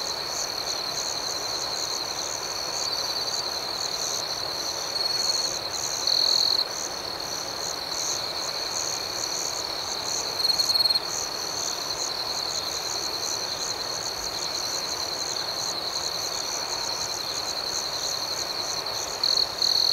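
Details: Nighttime cricket chorus outdoors, a continuous high, ringing chirp with a faster pulsed shimmer above it, broken by brief louder trills around 6, 11 and 19.5 seconds.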